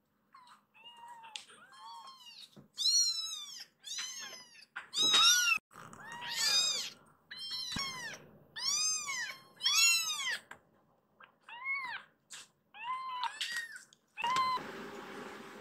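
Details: Rescued baby kittens in a small room demanding to leave for the sofa; a near-continuous series of loud, bowed, high-pitched meows from more than one kitten, barely pausing between calls.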